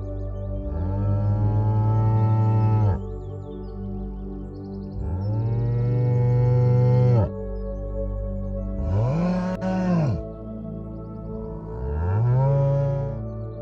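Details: Cow mooing: four long, low, droning moos of about two seconds each, the pitch arching up and then sliding down at the end, spaced a few seconds apart over steady background music.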